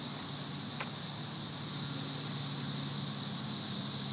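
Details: Thousands of cicadas in trees during May 2011 produce a dense, buzzing sizzle resembling white noise, steady and loud from start to finish, one short tick near the start.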